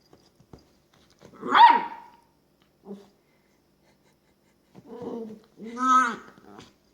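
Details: Female long-haired dachshund puppy at play in her bed: one sharp high yip, a soft short grunt, then two drawn-out low moaning growls with a clear, steady pitch, separated by short silences.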